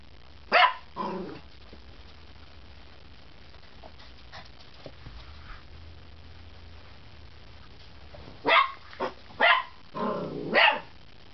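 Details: Puppy giving its first barks: a single sharp bark and a softer follow-up near the start, then a quiet stretch with faint low rumble, then a cluster of five quick yappy barks near the end.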